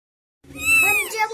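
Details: Newborn kitten, one of three born in a home, giving a single high, arched mew that rises then falls, with strong overtones, after a moment of silence.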